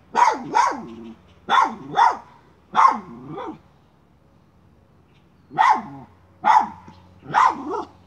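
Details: Miniature schnauzer hunting a chipmunk, pushing at a pipe: sharp barks in pairs and triplets, about seventy a minute, with a quiet gap midway and a low steady hum beneath.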